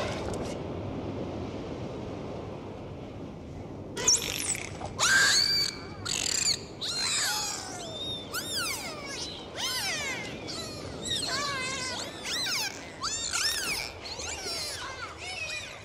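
Dolphins whistling underwater, with rising and falling tonal sweeps and sharp clicks.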